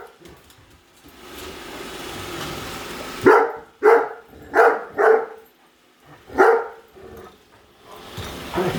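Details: Indoor Great Dane Padme harasses a Roomba with barking; several seconds of steady vacuum hum give way to a cluster of four forceful barks, a lull, then one more bark.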